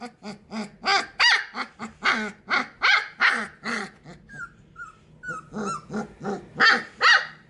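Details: Young Sheepadoodle puppies sharing a pen let out a quick run of high, harsh little barks about twice a second, briefly broken by thin whistling whines before the yappy barking resumes.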